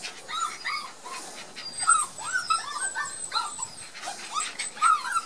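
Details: Border Collie puppies of Gem and Sky on their first outing into the garden after their first vaccination, shy and barely moving; thin high whines and yelps rise and fall in short arcs, several overlapping, with light background noise.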